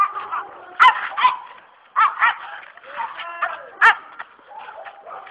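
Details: Presa Canario protection dog during attack training, barking hard in loud, rough bursts separated by short pauses, with a brief strained, tonal growl-like note midway and indistinct background noise throughout.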